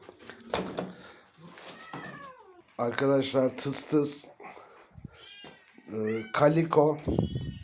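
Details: Mother cat guarding her very small kitten, kept in a cage indoors, objecting to a person touching it: low, drawn-out harmonic growling yowls in two long bursts, preceded by shorter wavering meow-like calls, with brief speech in the room.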